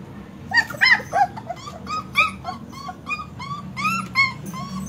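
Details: German Shepherd puppies giving quick, thin whimpers and short yips, several overlapping high arched notes in irregular bursts over a low steady hum.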